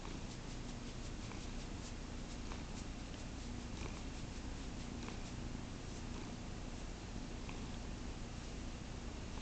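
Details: Caramel the pet cat purrs in a steady deep rumble throughout, with light clicking and tapping sounds scattered over the purr.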